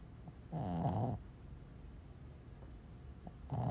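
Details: Boston Terrier asleep, nicknamed a seal dog, snoring indoors: one long low harmonic snore with a rough rattling texture, then quiet breathing before the next snore begins at the end.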